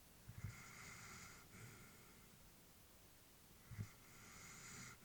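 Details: Elderly female Labrador asleep indoors, giving a couple of short snorting breaths followed by soft airy exhalations over a quiet room.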